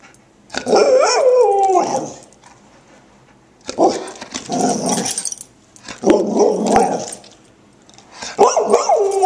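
A Golden Retriever makes a run of brief, moaning howls, each about a second long with bending pitch. The voice sounds almost talkative, with pauses of a second or two between the phrases.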